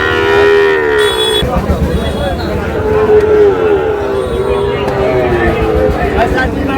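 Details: Sahiwal bull calves at a cattle market in Mymensingh, Bangladesh, on 7 July. A low, steady, drawn-out moo holds for about a second at the start and sounds again near three seconds, over haggling voices and market crowd noise.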